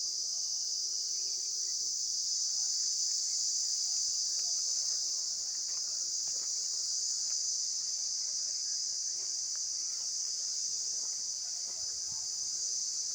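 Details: Insects calling outdoors: a steady, high, shimmering buzz that holds unbroken for the whole recording, with faint scattered clicks and soft background noise beneath it.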